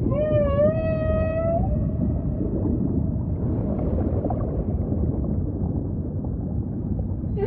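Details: Humpback whale song over a dense low ocean rumble: a clear rising moaning tone with stacked harmonics in the first two seconds, then only murky underwater noise and faint distant calls.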